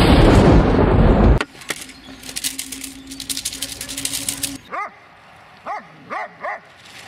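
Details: Dobermann named Magmar Von Der Burgstätte, aged 11 years 1 month, gives four short, rising-then-falling barks in the final two seconds. Before them come a loud rushing noise and a steady thin whistle tone.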